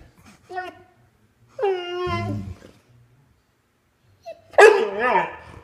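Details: Indoors, a puppy throws a temper tantrum, wanting its toy dinosaur back: a brief whine, then a long drawn-out whining moan, and after a pause a loud, harsh, wavering yowl.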